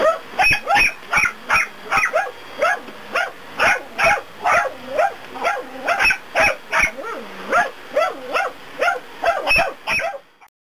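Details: Pair of dachshunds indoors raising a noisy protest against a vacuum cleaner during household cleaning, though fleeing from it. Rapid, continuous barking of roughly two to three yaps per second over the loud whirring drone of the vacuum cleaner.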